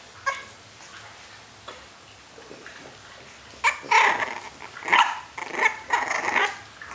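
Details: Five-week-old French Bulldog puppies born in Riga give thin, squeaky yips and short whines, scattered at first, then a quick run of bursts about once a second, busier and louder toward the end, indoors.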